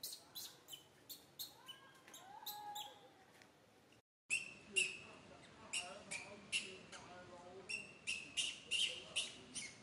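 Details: Baby monkey Santo cries in a bad mood as mother Sara pays no attention: a string of shrill, high bursts, a brief silent gap, then more piercing cries with warbling lower notes underneath.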